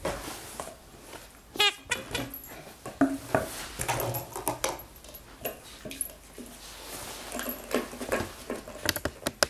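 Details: Three-month-old Cavalier King Charles Spaniel puppy named Jenny, playing with soft toys and bottles on a sofa; one brief high whine near the start, amid rustling, thumps and handling noises indoors.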